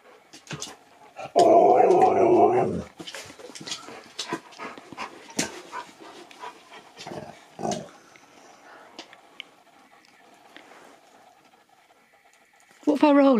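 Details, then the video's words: Husky Nook 'talks' to his Easter egg indoors on Easter, ignoring it before playing. A loud, warbling, harmonic moan lasts about a second and a half, followed by quieter clicks and shuffling, then a sharp rising whine at the end. "Husky TALKS to ~ IGNORES then PLAYS with his EASTER EGG before eating it"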